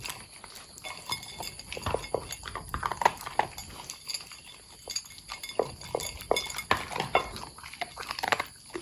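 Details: Pet long-haired Corgi Pudding eating; dense run of crisp crunches and munching clicks, irregular and rapid, a faint clink of the bowl here and there.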